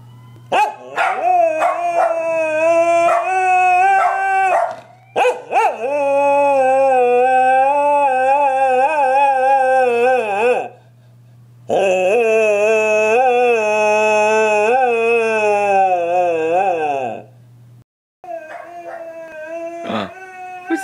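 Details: Pet dog Mira howling in response to a passing ambulance siren, long sustained harmonic tones held for several seconds at a time with slight wavering, breaking into short yips between howls; a faint steady low hum underneath.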